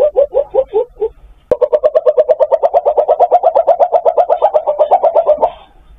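A palm civet calls for a mate with a short burst of four nasal, mewing notes. After a pause comes a long, fast run of similar pulses, about four or five a second, steady in pitch before fading out.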